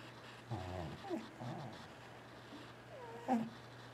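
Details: Sleeping T-Jay, a domestic cat, gives low rumbling snore-like breaths followed by a short wavering chirp near the end, over a steady low hum in a quiet room.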